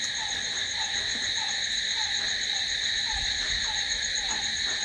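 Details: Steady nocturnal cricket trilling, high and constant, layered in bright bands, while a quieter dropping chirp repeats at a quick, slightly uneven pace below.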